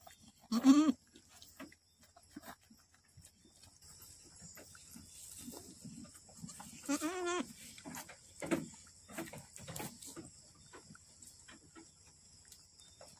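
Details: Boer goat on a farm in Aceh, Indonesia, during the birth of twin kids: a loud, wavering, nasal bleat near the start, then a second drawn-out quavering bleat midway, with rustling, shuffling and scattered clicks between.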